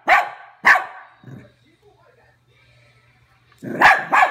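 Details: Cavalier King Charles spaniel barks at a toy rat, two quick sharp barks, a short softer sound, a quiet pause with faint hum, then two more barks close together.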